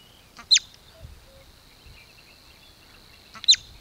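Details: Whistled danger signal from a bobak marmot near Velyka Shapkivka, Kupiansk district, Kharkiv region, Ukraine: two abrupt, high, piercing chirps about three seconds apart over a quiet background.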